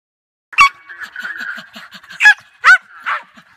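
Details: German Hunting Terriers hunting sambar deer in Victoria, Australia; several sharp barks spaced irregularly over a steady whining tone, with soft panting between.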